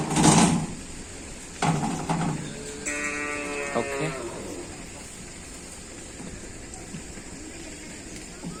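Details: Cattle at a Karapan Sapi bull-racing training session, preparing for an event at the Tempuran field, Java: a loud thump opens, then one drawn-out, level, harmonic moo lasting about a second, over a murmur of crowd noise.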